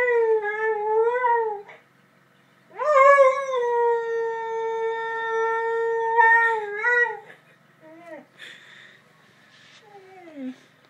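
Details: Daily howling song from a lurcher greeting the ice cream man: a wavering howl, a pause, then a long level note ending in warbles, followed by short falling yelps and whimpers.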